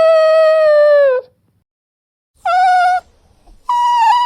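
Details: Drawn-out dog whine, a steady clear note sagging slightly over about a second, then after a pause two more sustained, slightly higher tonal whines.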